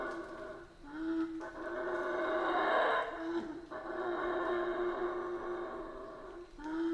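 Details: Howler monkeys of the Central American rainforest heard somewhat distant, a broad, raspy roaring chorus peaking midway, with a sustained low drone running throughout.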